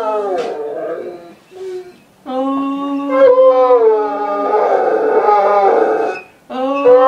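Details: Irish wolfhound "singing" indoors as his family returns home, a greeting he gives after every short outing and when the boys come back from school: wavering, rich harmonic howls broken by brief pauses and a short whine.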